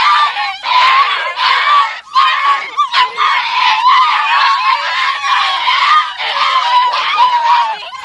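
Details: American Foxhound puppies, 47 days old, in Igrejinha, Rio Grande do Sul, Brazil, making noise together: a dense overlapping chorus of high, wavering whines and yelps, continuous with brief dips, several pups calling at once.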